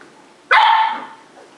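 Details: A 10-week-old Cardigan Welsh Corgi puppy in Adelaide, South Australia gives one sharp, high bark while play fighting with its sibling.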